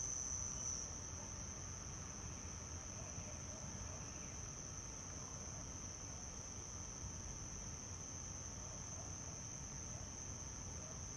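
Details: Summer nightfall near dwellings at Hammam Lif, Tunisia, where male house crickets (Acheta domestica) stridulate at their burrow entrances; one constant high-pitched ringing note runs throughout over a low rumbling background.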